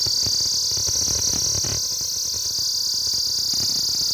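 Cicadas hold a steady, high, hissing drone without a break.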